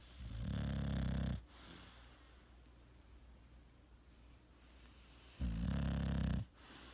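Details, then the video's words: Male English bulldog sleeping at home indoors, giving two loud, rough, low rumbling snores about a second long each, separated by several seconds of quiet breathing. "My Cute Dog Snore Compilation, English bulldog"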